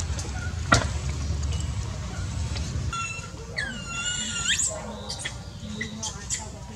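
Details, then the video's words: Baby monkey, very hungry, crying out for milk and its mother; one drawn-out harmonic wail rises steeply near the four-second mark, with scattered clicks, a loud knock early on and steady low background noise. "Very hungry..!! Poor baby cries need milk cries need mom take care, Baby monkey daily life"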